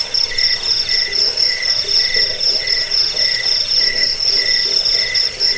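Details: Crickets sounding nonstop, a recording used to drive away rats, aid sleep and tutor birds; a shrill continuous pulsed buzz overlays regular shorter chirps repeating several times a second, with soft lower bursts beneath.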